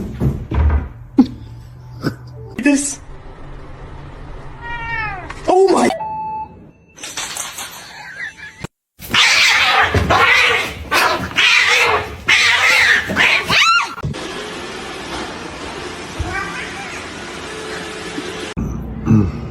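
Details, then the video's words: Domestic cats in a funny compilation: short meows with a rising-then-falling pitch near the middle, mixed with human speech, sudden loud noise bursts and a stretch of hissy background sound. "cats meowing"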